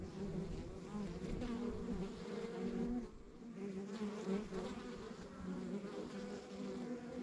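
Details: Buzzing of a backyard honey bee hive in the countryside: dense, continuous drone from many bees, briefly dipping quieter mid-way before the hum returns at full strength.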